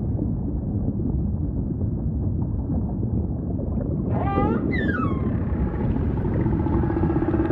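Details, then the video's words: Humpback whale singing over constant low ocean rumble: two quick sliding cries with strong harmonics near the middle, then a long, level, faintly wavering moan to the end. "Majestic Whale Song · beautiful humpback & ocean ambience"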